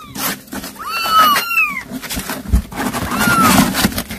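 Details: A cat that caught a mouse to feed its young calls its kittens: a few arched, harmonic meows, one drawn out and rising then falling, over a steady low hum and rustling.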